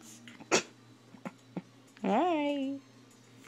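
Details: Puppy vocalising indoors while being photographed with a phone: a few soft clicks and a voice, then a drawn-out, rising-then-level whining yelp lasting under a second, ending in quiet.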